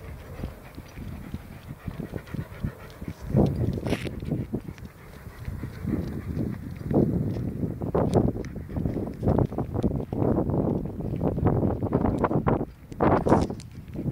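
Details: Jim, a white Alsatian, recorded outdoors with rhythmic, breathy panting bursts roughly once a second, soft low huffs with occasional sharper noisy puffs, over light wind and rustling.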